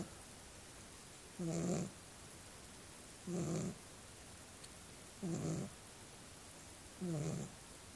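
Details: Rhythmic snores from a sleeping little dog, four buzzy, rumbling breaths evenly spaced about every two seconds over a quiet room.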